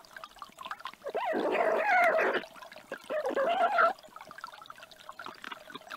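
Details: A young stone marten, competing for put-out treats at night on 2 May 2021, gives two harsh, snarling screeches to intimidate a fox, while badgers feed nearby.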